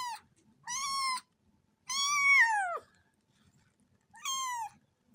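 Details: Kittens giving drawn-out meows, three clear calls with the middle one longest, bending downward at its end, over a quiet background.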